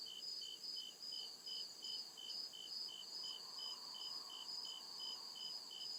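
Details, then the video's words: Forest at night alive with crickets: sharp, high, evenly pulsed chirps around two or three per second over a continuous shrill trill, with a faint lower insect murmur. "CRICKET CHIRPING SOUND"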